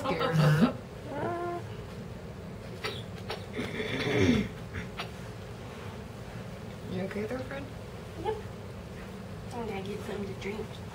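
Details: Pumpkin Pie, an Egyptian Mau mix rescue kitten on its first day home, indoors; several short, high meows rise and fall through the clip, spaced a few seconds apart, while a woman talks softly to it.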